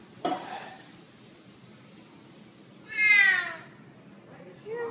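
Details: Black kitten giving one clear, high-pitched meow lasting about half a second after a quiet pause, then the start of another meow at the end; a brief tap is heard near the beginning.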